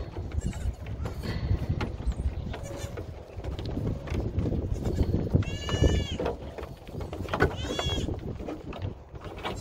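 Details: Nigerian Dwarf show goats at the Blue Cactus Dairy Goat Ranch investigating a hidden camera: two loud, quavering bleats rich in harmonics come late, over close rustling, bumping and handling noise.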